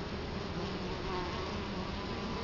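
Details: Steady droning hum of many Italian honey bees at the entrance of their hive in Colorado Springs in 2011, low and even throughout, with no other sounds standing out.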